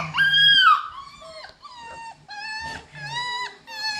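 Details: Seven-week-old Cockapoo puppy from a litter of seven, born to a show cocker spaniel and a miniature poodle, producing a loud rising-then-falling whine, followed by several steadier, drawn-out tonal whimpers with brief gaps between them.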